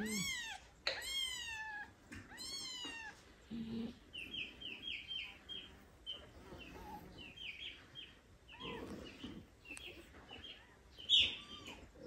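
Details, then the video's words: Kittens mewing beside their big daddy cat, who looks after them. A few strong, falling meows open the scene, followed by a run of thin, high squeaky mews in rapid succession and a last louder cry. "Huge dad cat wants to be like mom for cute meowing kittens"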